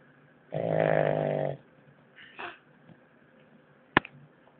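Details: French Bulldog named Natsuo giving one of his loudest snores yet: a single harsh, rattling, buzzy snore of about one second, followed by a faint breath and a sharp click.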